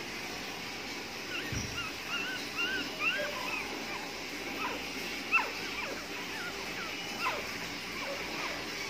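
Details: Nine-day-old Jack Russell Terrier puppies, tricolor, making thin high whimpers and squeaks, short rising and falling cries scattered through the clip over a steady hiss of background noise.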